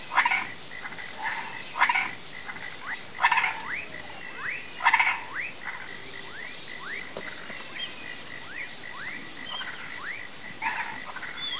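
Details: Croaking frogs and toads in a swamp at nightfall, said to call the rain: loud harsh croaks open the chorus, then many quick upslurred whistles follow, over a persistent shrill insect hum.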